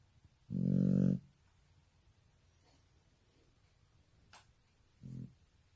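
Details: Shar Pei dog snoring while asleep: one loud, deep, rumbling snore is followed by silence, a faint click and then a shorter, softer snore.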